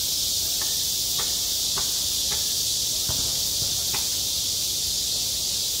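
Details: Self-recorded summer cicadas at a school playground: a loud, continuous high buzzing hiss, with soft clicks or taps repeating roughly every half second beneath it.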